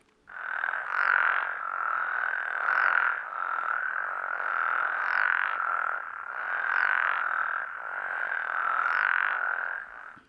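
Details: Frogs chorusing in sync at a spring vernal pool, a healthy chorus pattern that draws mates and hinders predators: steady buzzy croaking around one mid pitch, pulsing in about five even bursts, each topped by a short higher flick.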